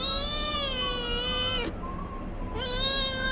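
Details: Kitten meowing insistently because it wants to get somewhere: two long, drawn-out, plaintive meows with a steady rich tone, separated by a brief quieter pause.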